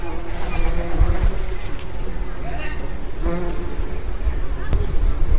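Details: Bees and other assorted pollinators foraging in lime trees along the River Tyne walk near St Mary's Church and Nungate Bridge, Haddington, East Lothian, Scotland, 28 July 2016; low layered buzzing hum with wavering tones, steady background rumble.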